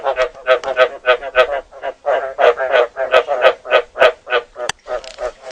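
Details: Frog recorded during rain gives rapid, throaty croaks about three times a second in a steady run.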